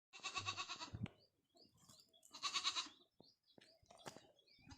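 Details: Farmed goat bleating twice: a wavering, pulsing bleat of about a second, then a shorter second bleat after a pause, with faint clicks and rustling between calls.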